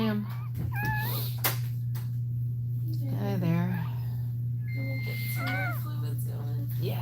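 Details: Cane Corso crying while another dog, Cashmere, is in labour indoors; thin, high whimpering whines that bend up and down in short bursts, over a steady low electrical hum with people talking nearby.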